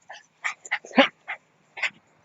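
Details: Rara, a Shiba Inu, playing ball outdoors at a dog run: six short, sharp yips in about two seconds, unevenly spaced, with the loudest near the middle, against a quiet background.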